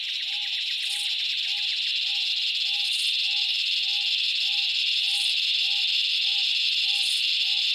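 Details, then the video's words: Loud, steady drone of cicadas in the Australian summer bush, a strong unbroken hiss, accompanied by a lower, clear note repeated roughly twice per second. "Cicada sounds - The loud calls of cicadas in the Australian bush in summer"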